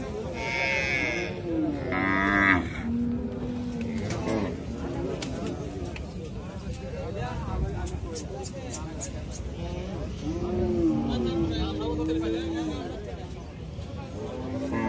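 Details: Calf mooing in several drawn-out, wavering calls, some rising then falling, with a brief high bleat near the start and farmyard background noise throughout.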